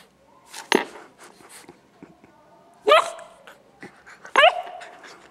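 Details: Nine-week-old gray female Newfoundland puppy, playing with a ball but too lazy to get up for it, gives three sharp, loud barks with a whiny upward edge, spaced about one and a half to two seconds apart, indoors with quiet background.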